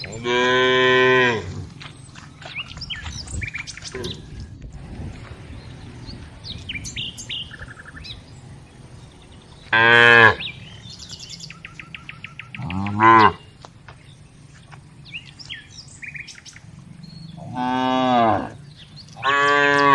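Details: ['Village cows driven along during daily herding, tame and walking. Five separate moos of varying length, some drawn out and some clipped, spaced over twenty seconds, with light bird chirping and quiet rustling between calls.']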